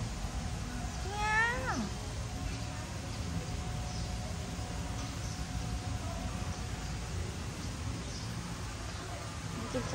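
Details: Orange tabby cat in a parking lot, running away, recorded 1 September 2023: one clear rising-then-falling meow near the start, followed by steady low rumbling background noise.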